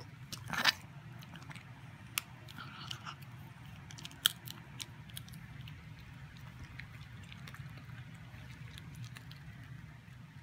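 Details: Soft crunching and chewing in a small indoor room, with a sharp click early on and scattered small clicks over a low hum.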